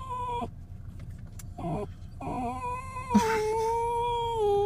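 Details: Otis, a poodle with separation anxiety, whines while his owner is away: drawn-out tonal cries with a steady pitch, the last one long and slowly falling. Brief broken whimpers come before them, and a person speaks softly nearby.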